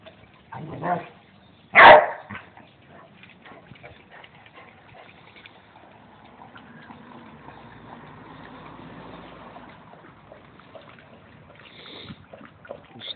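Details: Basset hound from Belgium giving one loud, sharp bark after a softer lead-in sound, then a long stretch of quiet indoor background with faint shuffling and a brief higher sound near the end.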